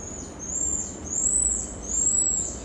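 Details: High, pure whistled notes from a pied tamarin in the Brazilian Amazon, three arching whistles in quick succession, each slightly louder in the middle, against soft forest hiss.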